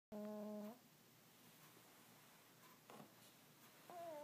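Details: Earl the cat asleep and snoring: a short nasal, whistle-like snore tone opens the recording, then a quiet pause, and another tonal snore begins near the end, in a small quiet room.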